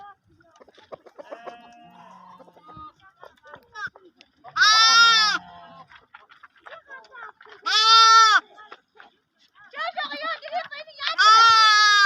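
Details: Lamb with sheep, three loud bleats of under a second each, roughly three seconds apart, after quieter scattered clicks and soft sounds, the last preceded by a wavering softer call.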